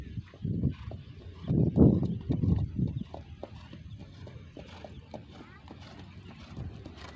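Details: Racehorse Raja Tanpa Nama in light training before the 2023 Gayo traditional horse race; a loud run of thudding clip-clop hoofbeats in the first three seconds, then softer steps, with people talking nearby.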